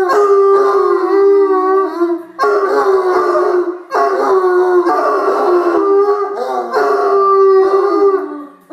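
A Bloodhound howls in long, mournful, sustained notes that slide slowly downward.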